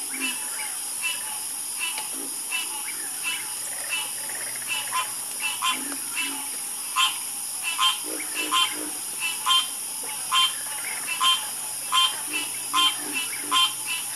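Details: Harmonious frog chorus at night: short, bright croaks repeat in loose clusters, several callers overlapping and answering each other, while a constant thin high buzz hums behind them.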